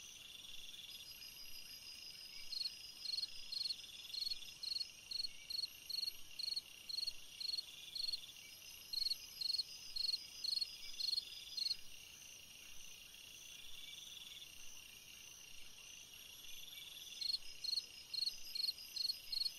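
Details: Cricket song on a summer night, long runs of evenly spaced pulsed chirps about twice per second, broken by short quiet gaps, over a steady high-pitched background hum.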